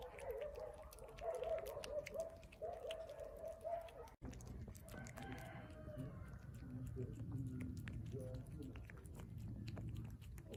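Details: Hungry stray cat vocalising while it eats: a long steady humming murmur for four seconds, then softer wavering, rising tones over continued chewing and smacking.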